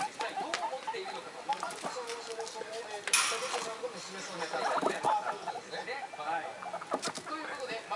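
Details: Three excited pet guinea pigs, Komachi, Yokihi and Cleo, the eldest about six weeks old and the two young ones one month, make low pulsed rumbling purrs with a sharp burst of noise midway, while television sound plays in the background.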